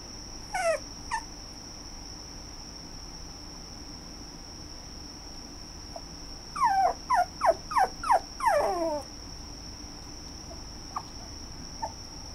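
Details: Red toy poodle giving a short burst of high whining yelps, then a rapid series of about six falling whimpers, with a few faint yips afterward; a steady high electrical whine runs throughout.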